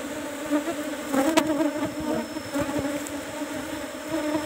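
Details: Kept Asian honey bees at hive box number 17 while honey is being harvested; an even, buzzing drone holds throughout, with a few sharp clicks of handling around the middle.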